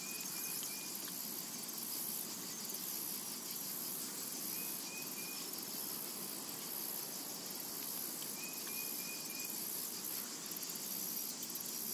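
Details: In a summer meadow, cicadas produce a constant high, fizzing whine with slight rhythmic pulsing, while a distant bird gives brief repeated chirps near the start, middle and later on.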